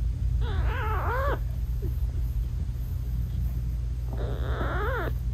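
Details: British Shorthair mother cat meowing sweetly to her newborn kittens while nursing them, their eyes still closed; two drawn-out, rising-then-falling harmonic meows about three seconds apart over a steady low hum.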